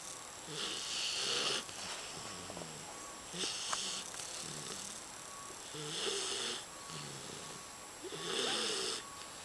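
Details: Four-month-old English Bulldog puppy named Pogi asleep and snoring like a lumberjack: raspy, hissing snores about every two and a half seconds, each breath a wheezy rattle with a softer rough inhale between, indoors.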